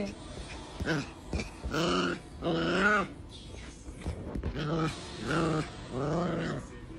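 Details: Angry dog giving a run of about seven harsh, arching vocal bursts, each rising then falling in pitch, separated by short gaps with sharp clicks and thuds between them.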